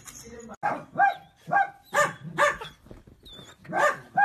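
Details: Miniature dachshund at play, sharp high barks about every half second, eight or so in quick succession with brief gaps, a voice faintly mixed in.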